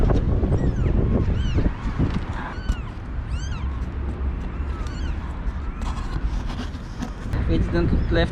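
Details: Five one-day-old kittens, taken with their mother from an outdoor cage ahead of cold stormy days, cry in thin, arched, high-pitched mews in quick succession, followed by a person talking and rustling near the end.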